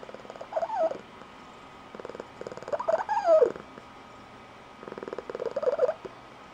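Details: Blue Point Tonkinese female giving a squeaky high-pitched trilling purr, as she does each morning waking her owner; three bursts of fast pulsed purring, each rising into a squeaky warbling trill, roughly every two seconds.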